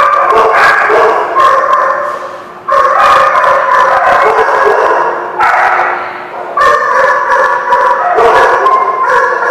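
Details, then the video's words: Several dogs at The Barking Lot, recorded 10/21/16, bark almost continuously in loud overlapping bursts, with harmonic yelps and short howl-like notes and only brief lulls between volleys. "The Barking Lot"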